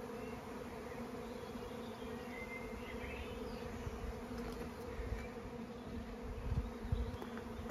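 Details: Spring honeybee swarm, the season's first, before May on a farm in County Kilkenny, Ireland, where wild pollinators are encouraged; a continuous low buzzing drone with faint birdsong and some rustling growing louder toward the end.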